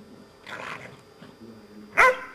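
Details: Two pet dogs, a Malinois named Zabó and an Amstaff named Chefrem, romping and playing together in a garden; a brief rough growl early on, then a sharp loud bark near the end, with quiet background between.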